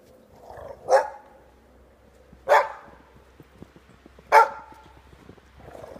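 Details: Giant Schnauzer puppies playing in the snow; three loud, sharp single barks spaced roughly every one and a half to two seconds, with a quieter whine-like sound before the first and after the last.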